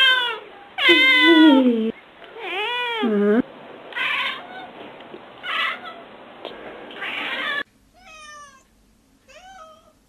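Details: Domestic cat meowing several times: loud, drawn-out wavering meows at first, then quieter, shorter ones, the last two thin and high, descending in pitch, with a hushed background.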